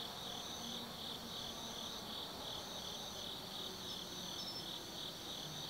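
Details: Night chorus of autumn insects at Tsukimi no Mori forest in Kaizu, Gifu, Japan, overlooking the Nobi Plain: steady high-pitched ringing trills layered over one another, with brief higher chirps and a faint low hum beneath.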